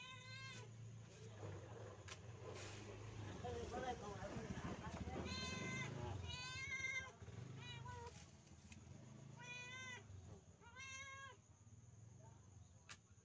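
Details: Pet kampung cat around its evening meal, meowing in short bright arched calls in bursts of two or three, partly masked by a steady low rumble and a man's voice talking.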